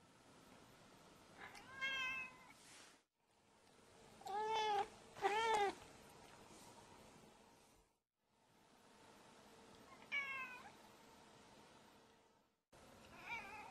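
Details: Yuki, a female white pet cat, gives a string of clear meows across several short cuts: a single meow, then a close pair of drawn-out, rising-then-falling calls, another lone meow, and a final brief one, against a quiet indoor background.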